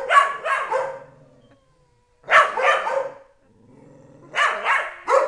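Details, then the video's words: A three-year-old pet Dobermann named Tyson gives a happy yodel. It comes as three rough, breathy bursts of two or three syllables each, separated by pauses of roughly two seconds. "Tyson yodels"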